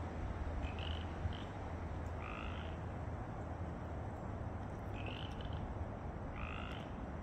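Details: On March 9, 2024, at Mill Creek, Washington, several Pacific chorus frogs give brief, raspy two-note croaks spaced a second or more apart over a constant deep rumble of wind or distant traffic.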